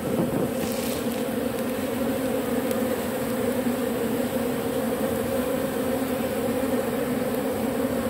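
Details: Propolis-robbing bees working on matchsticks: an even, unbroken buzz with a firm low hum and a brighter band above, a brief scratchy sound at the start, otherwise constant.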